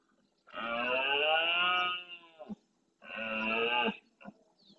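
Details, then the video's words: Red deer stag roaring at dawn during the rut in the Doñana National Park marshes, Andalusia, Spain, courting hinds and warning rival males off his territory and harem; two long, harmonic, hoarse bellows, each about one to one and a half seconds. "Berrea al amanecer"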